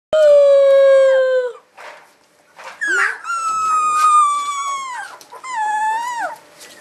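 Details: A Rhodesian Ridgeback puppy from a 2011 litter howls in long, high, wavering notes that fall away at the end.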